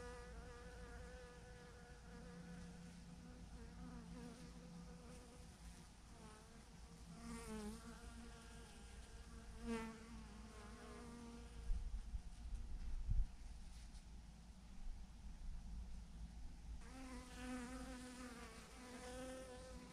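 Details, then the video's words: Thousands of honey bees swarming in a clump on a branch, a continuous hum with repeated swelling buzzes as single bees fly past, a few low knocks midway, and wind rumble throughout. "thousands of BEES hanging on a branch in a massive clump"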